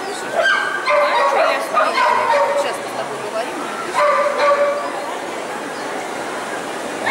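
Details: At the "Zooshow in Gavan" CACAG qualifiers, ring A3, on 29 March 2015, Lyalya the poodle gives quick runs of tonal barks in two clusters, with echoing hall noise and talking behind.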